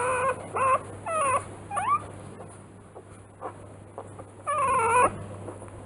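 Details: Three-day-old newborn Rottweiler puppies in a kennel litter: high squealing whimpers that bend up and down in pitch, four clear bursts with fainter cries between, over a steady low hum.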